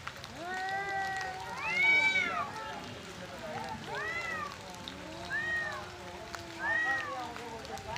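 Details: Two angry male cats fighting for area and breeding, loud arching wails in bursts about every two seconds, rising then falling, answered by lower drawn-out moans, sounding like a baby crying.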